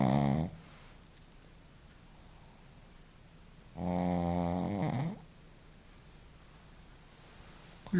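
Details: Snoring Shih Tzu named Joaquim, one drawn-out harmonic snore lasting over a second in the middle, with a snore trailing off at the start and another beginning at the end, quiet room between.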